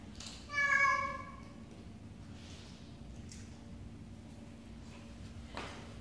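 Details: Single drawn-out meow from a domestic cat indoors, a steady tonal cry under one second with rich harmonics. Faint soft rustles and a sharp tap follow in a quiet room.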